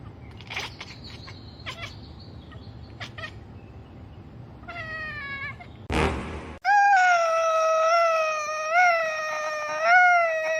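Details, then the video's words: Domestic cat giving an odd, drawn-out meow: a few faint short calls, a brief noisy burst, then a loud, steady, wavering wail lasting about four seconds, rich in overtones and dipping and rising slightly in pitch. "Weird Cat Noises"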